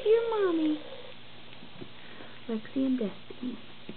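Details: Standard poodle puppies just finishing their first gruel, bellies full; one drawn-out whine with clear harmonics, sliding downward over under a second, then quiet before a woman speaks briefly to the litter indoors.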